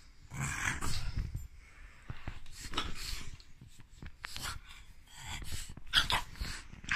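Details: French bulldog indoors reacting to profanities with a run of low, rumbling growls broken into uneven bursts, mixed with snorty huffs and noisy breaths, loudest near the end.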